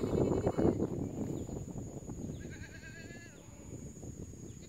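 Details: Goats and sheep by a reservoir at Huai Ling Chon, Yasothon, Thailand, in cool weather with soft sunlight; one gives a wavering, nasal bleat amid rumbling handling noise and a faint steady whine.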